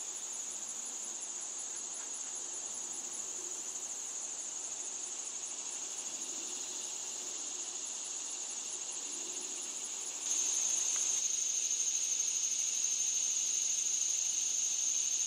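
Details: Cicadas calling in a wooded setting, a steady high-pitched continuous buzz that grows louder and sharper about two-thirds of the way through, with faint background hiss.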